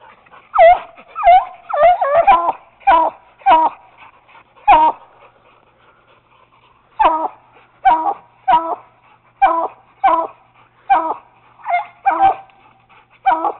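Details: Treeing Walker Coonhound pup at a caged raccoon, with a Bluetick called Bobbi also working it: a fast burst of yelping barks, then a silent two-second pause, then the barks resume at a steady pace while a handler urges the dogs on.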